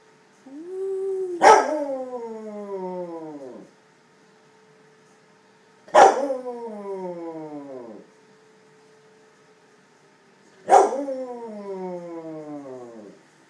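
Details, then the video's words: A 10-year-old Cardigan Welsh Corgi howls at weekly Wednesday-noon tornado siren tests, giving drawn-out howls that slide downward and repeat every four to five seconds. "Corgi Cardigan Howling at Sirens"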